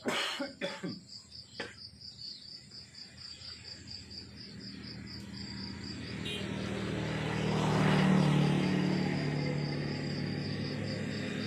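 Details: Crickets chirping in the morning countryside: a steady, rapid high pulsing of about four chirps per second runs throughout, with a few knocks early on, and a vehicle's low rumble swells in over the second half.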